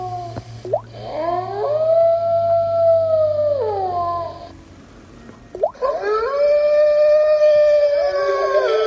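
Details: Wolf howls, two drawn-out sustained tones with a quick rising onset, each holding steady for about three seconds, over a low steady background hum.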